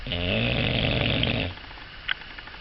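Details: English Bulldog snoring: one loud, raspy, rumbling snore lasts about one and a half seconds. It fades to quiet breathing, and a single short click follows.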